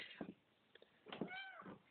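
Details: Domestic cat sitting indoors, cuddled up facing a corner; one short arching meow with bright harmonics, between soft thumps and handling noises.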